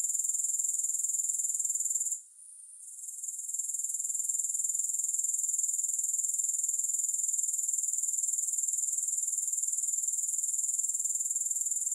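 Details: High-pitched grasshopper chorus without music: a dense, fast-pulsing insect buzz held constant, dropping out briefly at about two seconds, then swelling back to a steady shrill trill.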